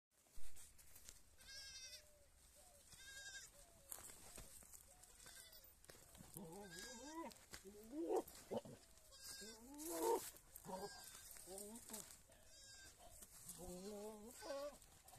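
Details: Big male goat kept for mating with many goats on a goat farm: wavering, quavering bleats with rising and falling pitch, a few early ones then a run of overlapping calls from about six seconds, some background noise.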